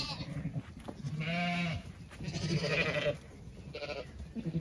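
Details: A flock of Zwartbles sheep walks through a flowering orchard on a County Kilkenny farm in Ireland; one steady, nasal bleat is followed by a shorter, wavering one and a brief third call.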